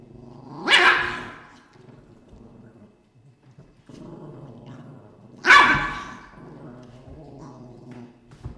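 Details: Dogs indoors in a room, growling with a low steady rumble, broken by two sharp explosive barks about five seconds apart; quiet between them.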